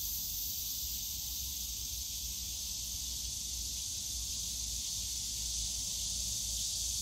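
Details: Summer chorus of cicadas in a bamboo forest at Yongsan Family Park, a continuous shrill droning wash that never pauses, over a soft low murmur of distant park noise.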